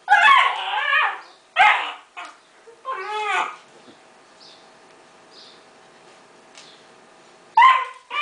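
A puppy gives four bursts of shrill, high-pitched yapping barks, some drawn out and whiny, with quiet pauses between them indoors.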